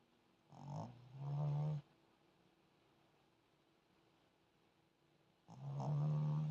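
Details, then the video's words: A sleeping puppy snores: two low, rumbling, tonal snores, the first stretching over about a second and a half with a short break, the second starting near five and a half seconds, with near-silence between. "snoring zion while sleeping"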